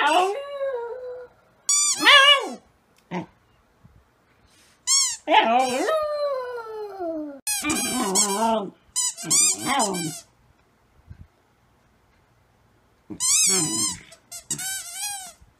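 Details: Rescue dog howling wolf-like indoors during play with a squeaky toy; repeated wavering, rising-and-falling howls and yelps in clusters, with gaps of silence between them.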